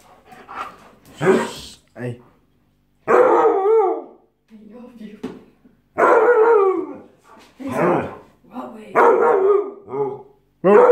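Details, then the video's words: Siberian Husky, described as very aggressive, giving loud harmonic yowling cries that slide downward, in bursts roughly every two to three seconds, with a person speaking Italian and trying to calm the dog between them. "siberian husky very agressiv"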